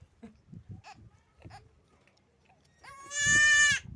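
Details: Young goat kid drinking milk from a bottle, with soft sucking and shuffling sounds, then one loud nasal bleat near the end lasting under a second, steady in pitch with rich overtones.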